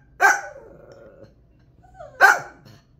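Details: Pet dog, very active at chasing animals, barking after being told a dog or cat is outside: two sharp, loud single barks about two seconds apart, with a faint whine between them in a quiet room.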